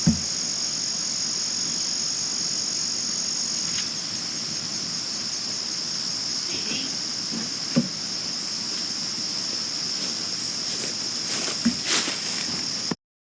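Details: Crickets at night, recorded in 2022, giving a constant high, thin trilling drone; a few soft knocks and brief rustling bursts occur toward the end before the sound cuts off abruptly.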